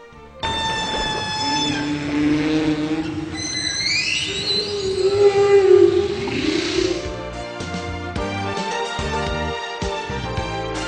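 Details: Humpback whale (Megaptera novaeangliae), second-loudest animal on Earth, sings long, low moans that swoop upward into higher wails, used for communication between individuals.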